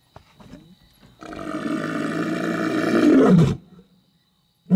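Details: On a night safari, a male lion right beside the safari vehicle lets out a powerful, throaty roar that builds for a couple of seconds and cuts off abruptly, with softer low grunts before it and another beginning at the end.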